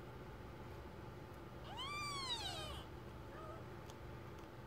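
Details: Newborn kitten, one of a first litter of four born on 27 September 2015 at 22.30, nursed by the mother; a single arching mew rising and falling over one second, then a faint short peep, steady hiss behind.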